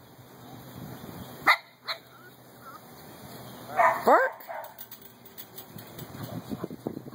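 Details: Small dog with big ears, possibly a French Bulldog or Boston Terrier, met on a walk; its ears drop to the sides when it barks. A sharp bark near the start, then a couple of yelping, rising calls midway, with a person talking.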